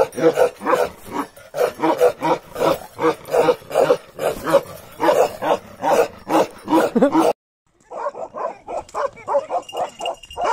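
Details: Pure-line Bakarwal dog, a big lion-head type seen alongside puppies, giving fast rhythmic barks for several seconds, then a sudden cut and further quicker barking.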